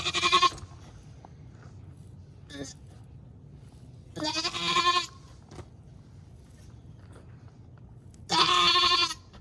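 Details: Nigerian Dwarf dairy doe in labour on a Northern California farm, giving birth to twins for the first time, bleats loudly three times. Each bleat is a harsh, strained cry with rich harmonics, about four seconds apart, with quiet breathing between.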